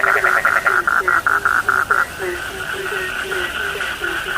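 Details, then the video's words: Frogs calling together in a sleep-lulling chorus: a run of rapid high pulsed notes repeated for two seconds, then lower short croaks at a steady, uneven rhythm over a continuous high trilling background. "The sound of frogs lulls sleep, 30 minutes you fall asleep soundly.( Suara katak Penghantar Tidur )"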